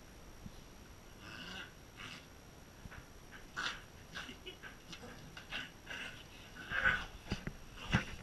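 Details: Corgi called BroadingCorgi giving soft, breathy growling grumbles in short bursts about once a second, rising to a few sharper, louder snorts near the end over a quiet hissy background.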